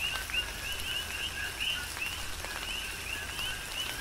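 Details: Coqui frogs on the Big Island of Hawaii in tropical rain, sharp rising chirps sounding at uneven intervals from several frogs, backed by steady rainfall and occasional louder drips.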